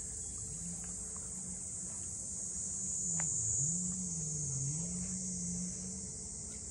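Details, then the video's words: Cicadas drone on a constant high note at Ine no Funaya, north of Kyoto, while a low motor hum wavers up and down underneath and a single sharp tap sounds midway. "cicadas voice"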